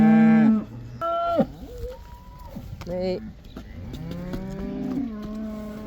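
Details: Cows in the Netherlands going back out to pasture, the 'cow dance', give a series of mooing calls, short loud bursts at first, then longer rising and falling moos from more than one animal.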